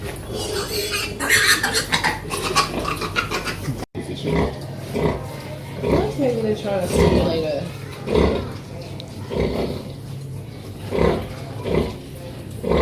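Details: Mother pig and her baby piglets making loud noises: dense high squealing in the first four seconds, then a sudden cut to low rhythmic grunts with wavering squeaks and bursts roughly every second.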